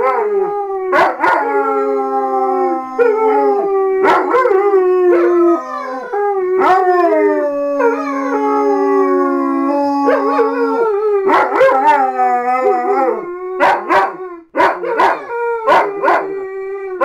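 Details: A pair of German Shepherds in a joint howl, encouraged into it: sustained quavering tones that rise and fall, one voice holding a long flat note while the other wavers, interspersed with clipped yelps near the end.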